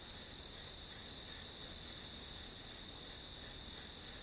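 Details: Shrill grass insect calls pulse in a steady high-pitched rhythm, close to three chirps each second, over a quiet hiss.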